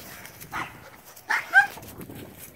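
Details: Male wire-haired Portuguese Podengo Pequeno puppy, four months old, outgoing and playful, giving two or three short, sharp yelping barks in quick succession over a quiet background.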